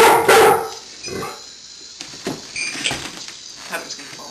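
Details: Miles, a pet golden retriever, confronted by a walking Star Wars Lego AT-AT toy, lets out one loud, harmonic bark at the start, followed by quieter rustling and faint clicks.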